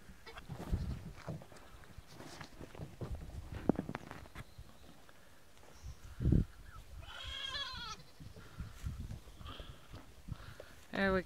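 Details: Nigerian Dwarf goat kids on their first day, being led outdoors after running back into a hen house: rustling and thumps, then one trembling, wavering bleat near the end and a brief cry at the close.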